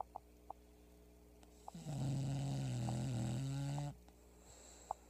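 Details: Pebbles, a sleeping English bulldog, snoring loudly indoors: one long, low droning snore lasting about two seconds, buzzy with a steady wavering pitch, over a constant quiet hum and a few faint clicks.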